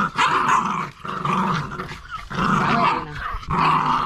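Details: Staffordshire Bull Terrier puppies, nine weeks old, play tug-of-war with their mother. Their snarling growls come in three or four strong surges, each roughly a second long, separated by brief pauses.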